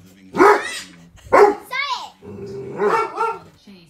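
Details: A Dobermann barking at dogs on TV gives two sharp, deep barks about a second apart, with television voices and sounds behind.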